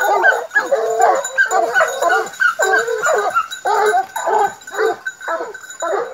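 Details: Several hounds out in a park, three of them Gascon dogs under nine months old plus a Norwegian Elkhound, giving a rapid string of overlapping yelping barks and baying cries, steady and continuous throughout, with a faint high electrical whine behind.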